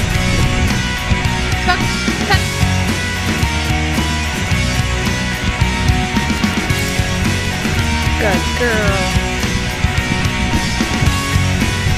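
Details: Loud, dense rock music with driving drums and layered instruments fills the recording throughout, and no animal sound can be picked out.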